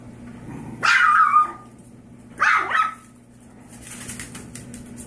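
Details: Five-year-old Yorkshire Terrier mother, rescued from a backyard breeder with her five-week-old foster puppies, has had enough of her litter: two loud, short barks with falling pitch about 1.5 seconds apart, then faint rustling over a steady indoor hum.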